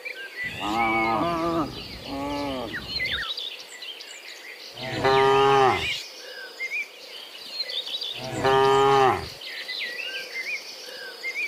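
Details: Herd of cows walking home from the fields to the pen in the afternoon; a series of drawn-out harmonic moos from different animals, roughly every three seconds, over steady bird chirping and a faint insect hum.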